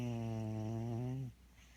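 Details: A sleeping cat gives a single steady, low, buzzy snore with layered overtones for just over a second, easing slightly downward before cutting off into near silence.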